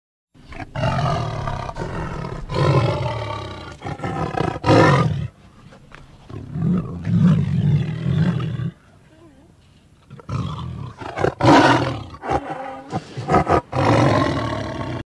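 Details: Royal Bengal tiger giving deep, rasping roars in repeated heavy bursts, with a quiet gap in the middle before more roaring resumes.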